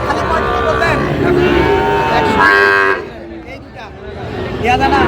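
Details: At a Narayanganj cattle market on 30 January, a Sahiwal bull lets out a rough, rising bellow with a brighter burst around two and a half seconds. Passing vehicles and traders' talk sound behind it.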